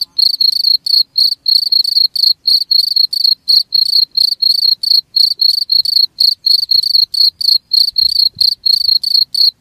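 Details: Shrill cricket chirps, used as a rat-repelling sound, come in an even, unbroken series of about four short trilled bursts per second, bright and metallic against silence.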